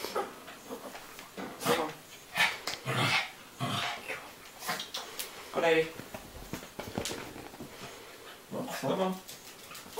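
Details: Pet dog Wilson barking indoors toward the family's gerbils, supposedly telling them to go to bed; a run of loud, uneven barks and yips over ten seconds mixed with a person talking.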